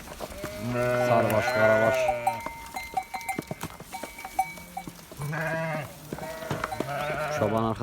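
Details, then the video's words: Domestic sheep in a flock bleating: long, wavering, harmonic-rich bleats in several bursts, separated by quieter gaps with faint metallic tinkling, like a bell. "Koyun sesi ve kuzu sesi"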